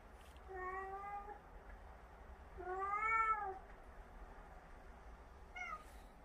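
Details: Domestic cats: Huimang nagging Jaetbit in a storm of scolding while Jaetbit talks back. Three meows: a long level one, a louder rising-then-falling harmonic meow, and a brief final chirp-like meow, with soft room hiss between.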